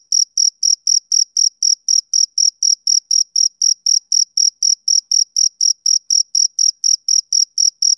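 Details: Rhythmic high chirps from a male cricket on a summer evening, each short pulse following the last at about a quarter-second interval, regular and unbroken, in otherwise silent surroundings.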